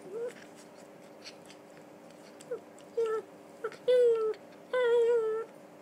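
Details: A red toy poodle named Donut, female and three years old, during the usual game: short nasal whines build into longer, steady, high-pitched ones toward the end, coming in uneven bursts with small knocks between.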